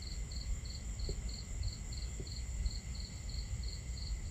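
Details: One cricket chirping at night beside a campfire under the stars: clean high pulses spaced evenly, about every 0.4 seconds, with a few soft pops from the fire and a heavy low rumble of water.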